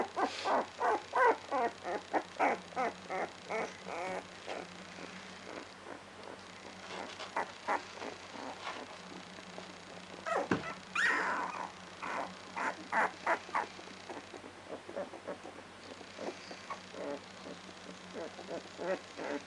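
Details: Two-week-old Labrador Retriever puppies giving rapid bursts of short, high squeaks and whimpers, many per second in clusters, with a brief louder yelp near the middle and a steady low hum behind.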